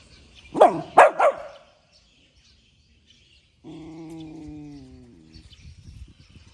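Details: Puppy barking in the morning: three quick sharp yips near the start, then a long steady tonal whine or hum with stacked harmonics lasting over a second, followed by faint scattered noise.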